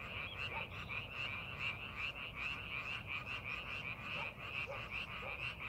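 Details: Rice paddy frogs during farming preparation, many voices overlapping in a busy croaking chorus, pulses coming quickly and unevenly, over a low background rumble.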